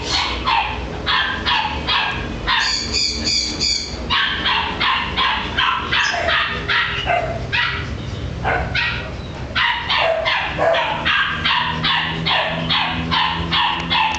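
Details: A corgi barks continuously for about fourteen seconds at a rapid, uneven pace of more than two barks a second. Near the start, a brief, high, tonal whine-like sound lasting just over a second rises above the barking.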